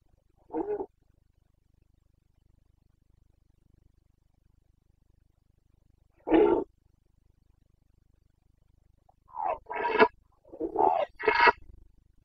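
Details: Carpathian red deer stag in breeding season, Bucovina, Romania, 29 September 2022: two spaced single roars followed by a burst of four rough, grunting bellows close together near the end.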